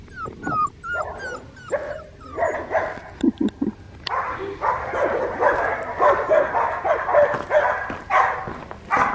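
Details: Four-week-old red tri male Australian Shepherd puppy, held and cuddled at a farm in Talala, Oklahoma, on 18 January 2021. Brief high whines, then a dense run of soft whimpering and yipping, with a woman's gentle voice in between.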